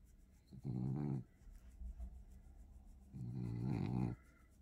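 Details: Blue French Bulldog, two years old, being given affectionate attention, makes two low rumbling grumbles separated by a pause, with a person talking softly nearby.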